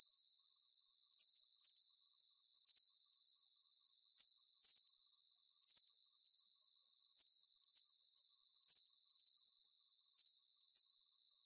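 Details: A cricket chorus of sharp, high chirps in tight clusters, evenly spaced and steady throughout, on a quiet, clean background.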